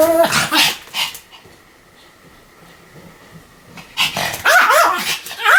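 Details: Pomeranian dog barking continuously: a few yapping barks at the start, a quiet pause with a low steady hum, then a fresh burst of high yelping barks at the end.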